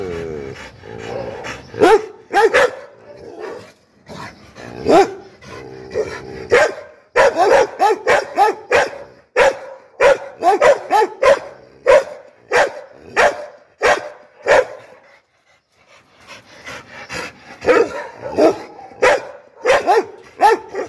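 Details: Angry barking from an American Pit Bull Terrier: loud, harsh barks in uneven bursts of several, separated by short pauses, with a quiet gap about two-thirds of the way through before the barking resumes.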